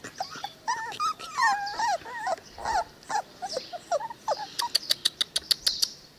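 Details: Cane Corso puppies, 22 days old, already wormed and chipped, give a string of high whining squeaks and yips with wavering pitch, then a fast run of sharp clicks near the end; soft background hiss.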